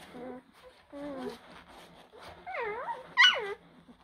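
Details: Blue Great Dane puppies from litters born in April 2023, whining in high, tonal, wavering whimpers that rise and fall, growing louder and shriller toward the end with a sharp squeal near the close; a faint murmur sits underneath.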